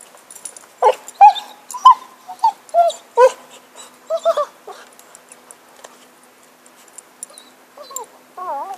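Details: Happy, a dog with a stick, lets out a run of short, high whimpering yips, then falls quiet, with a few wavering whines returning near the close.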